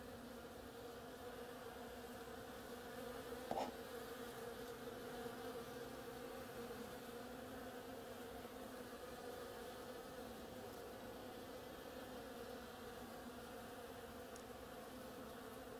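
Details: Bees foraging on an oriental creeper in bloom give a constant droning hum of blended wingbeat tones, steady throughout, with one short sharp knock early on.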